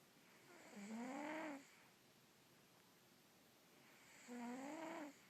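A Russian Blue cat snoring: two slow, raspy breaths with a nasal, slightly rising-then-falling tone. Each snore lasts under a second, separated by about three seconds of quiet room hush.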